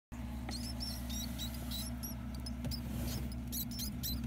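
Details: Ten-day-old mouse pups squeaking while their mother feeds them; many short high-pitched squeaks, some with rising or falling strokes, scattered through the clip over a steady low electrical hum.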